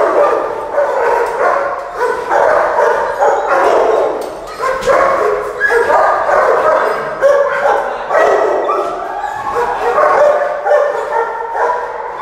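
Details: Aggressive, dominant Mastiff in a rehabilitation training session gives a dense run of loud, rough barks with brief whimper-like tones mixed in, almost continuous with only short gaps.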